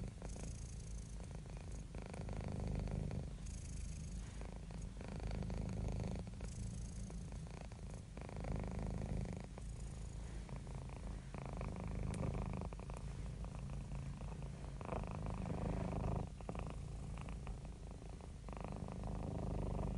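A domestic cat purrs steadily, a low rumbling vibration rising and falling with each breath.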